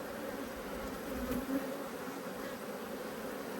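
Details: Agitated honey bees in an Australian hive during inspection, a colony with new lighter-coloured genetics and fresh brood; continuous droning hum with a few louder buzzing passes midway, low handling rumble beneath.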